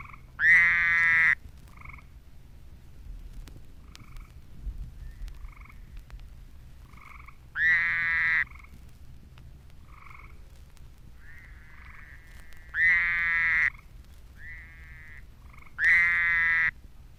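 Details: A Fowler's toad calls in mid-April near Statesboro, Georgia, giving loud, nasal, buzzing bleats about a second long, while a tree toad also calls with softer notes between.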